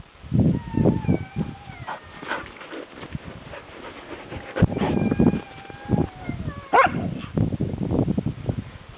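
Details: Several Yakutian Laika puppies whine in thin, drawn-out falling whimpers that overlap and repeat throughout, over steady shuffling, bumping and scratching sounds.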